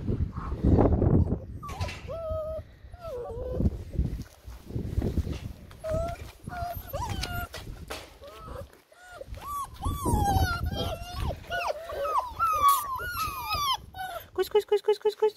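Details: Six-week-old white Alaskan Malamute puppies whining and yelping, high wavering cries that rise and fall in clusters, with handling noise and rustling at first, people talking, and rapid sharp squeaks at the end.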